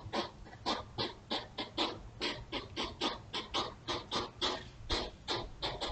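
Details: Courting European hedgehogs, a pair, at night by a house path, trail camera recording from June 2023: loud breathy snorting puffs in irregular quick succession, each a short hissing burst, around three per second.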